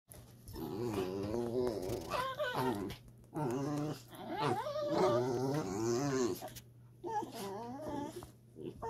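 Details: Two Dachshunds talking to each other during rough and tumble play: continuous harmonic growling and moaning vocalizations that waver in pitch, in bursts of about two to three seconds with short pauses between, and a steady low hum underneath.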